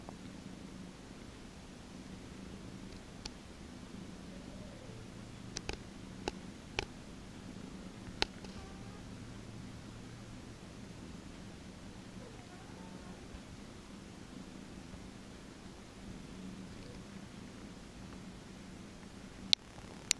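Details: Indoors, a massaged cat gives a long, quiet, low purr that drones on evenly, dotted with scattered faint clicks and handling noises.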